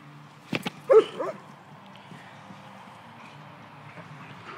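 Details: White German Shepherd playing at A & B Dogs, giving a short bark followed by a couple of quick yelping vocal bursts near the start, then quiet room background with faint low hum.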